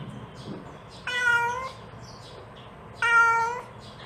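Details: A mother cat calling her kittens gives two steady, even meows about two seconds apart, with quiet low rumbling between.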